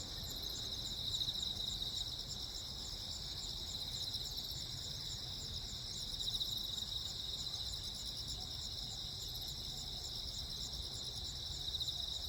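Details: Night chorus of crickets on Jeju Island, South Korea, 15 August 2024, amid frequent lightning: continuous high shrill trilling with brighter pulsed chirps recurring every few seconds, low ambient rumble beneath.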